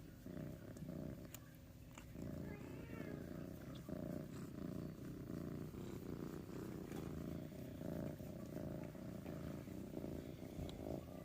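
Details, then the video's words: Saint, a kitten who always purrs, rumbling while his belly is petted: a continuous low, throbbing purr with steady pulsing, a brief higher squeak-like sound near the start, and faint handling noise. "This is Saint, who always purrs. Let's see if he'll purr."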